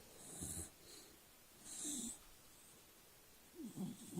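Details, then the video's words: Charlie, a pet dog sleeping on his back, snores in wheezy breaths: a nasal whistle near 0.5 s, a longer raspy snore around 2 s, then short snorting puffs near the end, in a quiet room. "Snoring Charlie"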